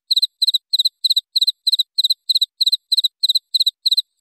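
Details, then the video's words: Steady cricket chirping for training cage songbirds. Each chirp is a rapid triple pulse, high-pitched and crisp, coming at an even rate of roughly three per second against silence. "MASTERAN JANGKRIK BERJEDA 1-3 menit Suara Jernih"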